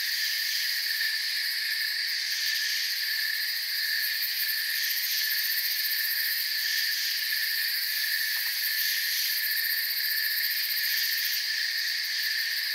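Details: Steady chorus of crickets in a peaceful forest, several high sustained tones stacked into one constant ringing wash, a rapid beating texture along the top, a small click near the middle, level loudness for the whole stretch.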